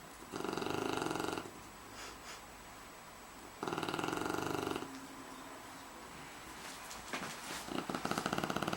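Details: Sleeping Shar Pei Aytash gives repeated raspy snores, two long buzzing bursts with quiet pauses between, then rougher, irregular snorting breaths near the end in a small room.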